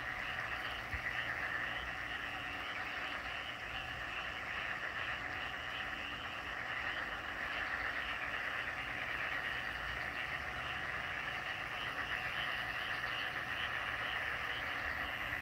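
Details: A dense frog chorus in Gumi-dong, Donghae, South Korea, 18 May 2024: many overlapping croaks merge into a steady, rasping wall of sound.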